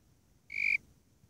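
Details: A single short, clear, high-pitched chirp of the Warrilla imposter cricket (Eurygryllodes warrilla), a tonal quarter-second note with ringing overtones, surrounded by quiet low hiss.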